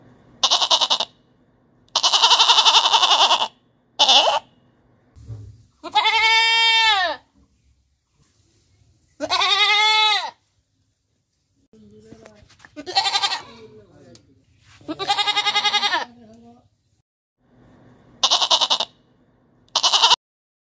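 A goat gives loud, wavering bleats in separate bursts with short pauses between them.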